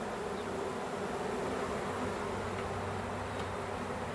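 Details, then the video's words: A swarm of honey bees in a back yard, about to be captured for a beekeeper's hives: a dense, steady hum with a low drone band, continuous and unbroken, with no voices over it. "Capturing A Bee Swarm"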